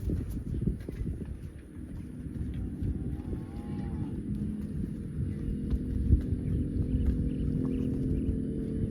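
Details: Cow out in the fields, where cows are running and jumping, giving a long, low, droning moo with steady harmonics that holds for several seconds in the second half, over rumbling wind and handling noise.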